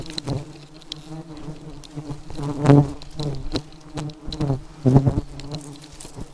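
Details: Honey bees in a very aggressive state give a continuous low buzzing hum, with two strong swells of close buzzing and scattered soft knocks against a droning background.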